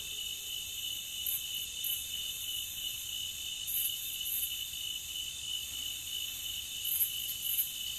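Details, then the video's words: Steady cricket chorus from a nature sound track: high, fast-pulsing trills in layered bands, constant in loudness, with occasional brighter chirps standing out near the top. "Nature Cricket Sound"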